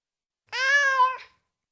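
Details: A single steady meow from a tomcat lasts under a second. It is strong and tonal, holding an even pitch, and ends with a brief downward slur. The background is silent.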